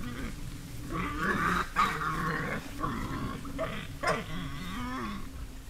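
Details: A herd of wild boar (Sus scrofa) in a spring forest, caught on a trail camera, gives low, rough grunts and growling snorts in a steady, uneven stream.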